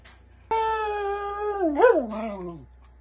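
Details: A male Miniature Schnauzer gives a long, steady howl that wavers upward, then slides down, greeting his owners as they return home from a hike.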